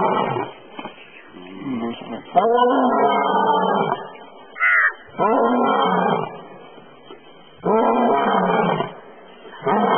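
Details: An Asiatic lion in the Gir forest, India, roars while sleeping, giving deep, moaning roars in long bursts repeated every few seconds.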